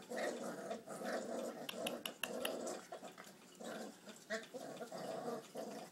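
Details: Puppies four weeks old, from Duchess and Dylan, growling while they eat chicken indoors: continuous rough, throaty growls in short pulsing bursts, with light clicks and knocks of feeding in between.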